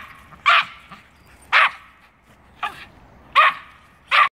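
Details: Norfolk Terriers barking at a squirrel that has climbed a tree, five loud, clipped barks spaced about a second apart, separated by quiet gaps with low background rumble.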